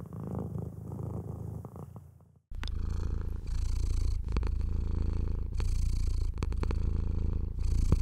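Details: Pet cat purring as it is stroked, a sign of pleasure: a quieter low purr at first, then after a short pause a louder, heavier rumble with rhythmic brushing and rubbing noises of the hand over fur.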